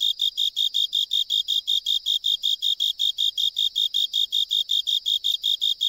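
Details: A Japanese burrowing cricket sings a steady series of pure, high chirps, several each second, from inside a drainage pipe during an island survey; this species usually sings hidden in soil or rock crevices.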